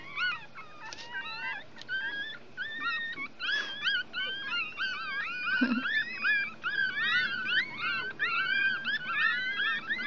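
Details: Week-old Chihuahua puppies lying out in the sun keep up a busy chorus of thin, wavering, upslurred squeaks. The calls overlap almost without a break, with one brief lower grunt near the middle.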